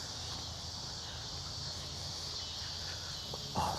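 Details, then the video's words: Cicadas heard during an outdoor walk, a steady high-pitched buzzing drone running unbroken through the whole stretch, with a faint low rumble beneath and a brief soft knock near the end. "You can just hear, you can hear the cicadas, you can hear the birds. I love coming out here."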